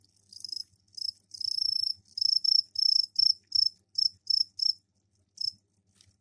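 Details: Stridulating captive crickets in a container, their mating calls heard through the night; high pulsed chirps in bursts of about a third of a second, repeated irregularly, fading toward the end, with quiet background.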